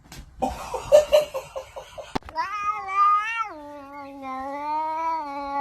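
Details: Domestic cat in a funny cat compilation from 2023: a run of quick pulsed sounds, then a long drawn-out yowl lasting about three seconds, rising slightly, holding steady, then dropping to a lower, flatter tone.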